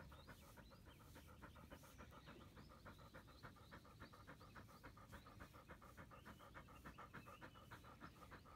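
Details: Rapid, even panting from a Labrador Retriever at morning frisbee dog practice, rhythmic breathy bursts roughly three to four per second over a low background rumble.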